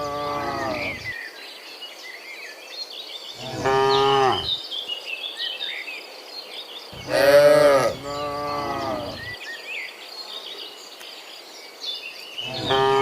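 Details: Dozens of cows walking home from the fields to the pen in the afternoon while herded; four bellowing moos spread across the stretch, the loudest near the middle, with background birdsong throughout.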